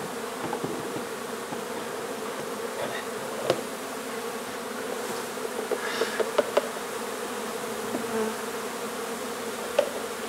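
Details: Honey bee colony being removed from an old home under renovation in Donna, Texas: a dense, steady hive hum with a low droning band and overtones, broken by sharp clicks and taps from removal work.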